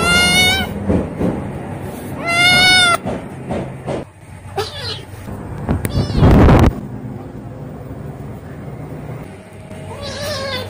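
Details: Kitten screaming in pain while bullied by a visiting puppy, then fighting back: two loud, high, harmonic wails near the start, a harsh noisy burst mid-way and a fainter cry at the end, over scuffling and background noise.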